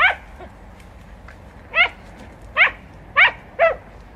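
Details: Podencos hunting in bramble in Campo Arañuelo: a faint opening bark, then four sharp, clear barks spaced roughly half a second to a second apart over quiet rural background.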